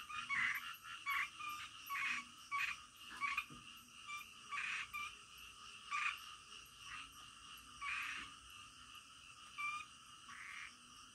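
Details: Night frog croaks come in separate loud bursts roughly every second or two over a continuous background chorus, with thin high ticking overhead.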